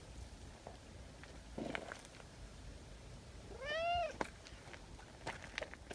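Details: Single arched meow from a community tabby cat after a bout of affection-seeking, rising then falling and lasting about half a second mid-recording, with soft rustles and clicks around it.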